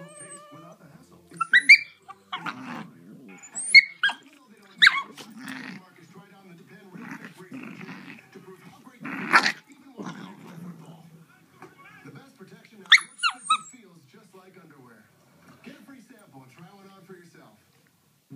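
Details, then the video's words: Two 3.5-month-old cream Shiba Inu puppies, sisters from the same litter, trade high, squeaky whines and sharp yips, with murmuring voices in the background. "Two Shiba Inu Puppies Talking"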